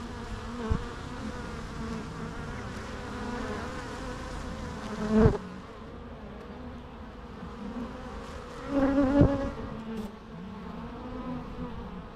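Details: Bees buzzing in a steady, droning hum with layered harmonic tones, swelling louder in two brief surges as individual insects pass close by.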